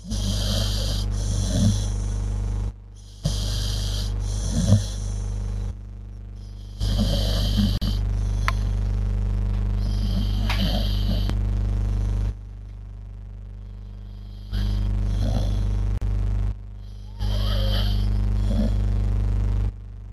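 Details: A sleeping dog snoring, low rumbling breaths in bursts roughly every two seconds, the sound cutting in and out in separate blocks over a steady low hum.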